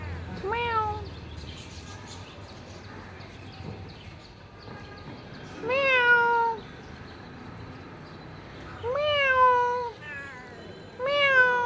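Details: Black cat meowing: four clear, drawn-out meows spaced a few seconds apart, each starting slightly higher and sliding down, with faint background hum and quiet gaps between calls.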